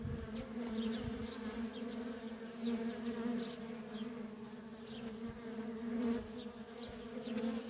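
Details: Constant low droning of many worker honey bees busy at a feral colony, swelling and easing slightly. Faint, quick bird twitters are scattered on top.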